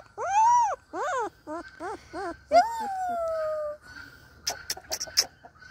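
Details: A Siberian Husky puppy's first howl, howling along with its owner: a thin, high, arching howl, then quick rising yips and a long falling wail.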